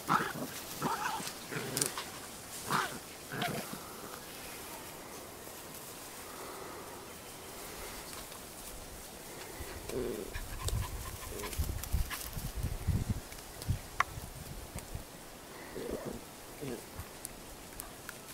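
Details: Cairn Terrier puppies at a breeding kennel in Escaudes giving irregular short whimpers, yelps and grunts, some clustered and some spaced several seconds apart, with a person's voice nearby.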